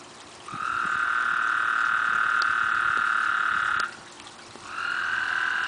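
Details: Toads mating in a backyard pond, eight animals calling loudly: a long, steady high trill holding one pitch for over three seconds, a short pause, then another trill begins.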